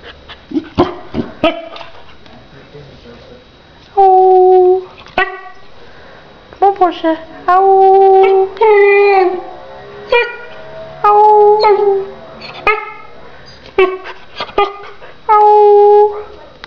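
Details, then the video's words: Porscha, a 3.5-month-old female Akita puppy, howling: drawn-out, steady-pitched wails of about a second each, repeated several times, interspersed with short yips and barks, while a person's voice also calls out nearby. "Akita Puppy being vocal"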